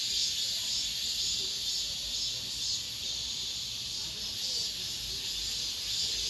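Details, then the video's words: End-of-summer cicadas inside an apartment complex produce a loud, constant whirring buzz that throbs slightly every second or so, with nothing else clearly heard. "올 여름 마지막 매미소리"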